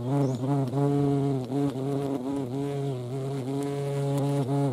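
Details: Deep, steady wingbeat drone of a European hornet (Vespa crabro) visiting a feeding place, the buzzing tone dipping briefly and recovering every second or so while holding constant loudness.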